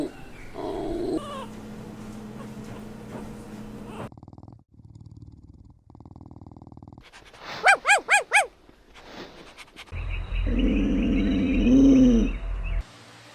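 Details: Pomeranian, Chihuahua, Maltipoo, Poodle or Bichon Frisé puppies barking during play: four sharp, rising-falling yaps in quick succession, then a drawn-out curving whine over low rumbling noise.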